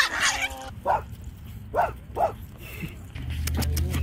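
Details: An applehead Chihuahua gives short, sharp, high-pitched barks in small bursts while meeting and being socialized with a French Bulldog at a dog park.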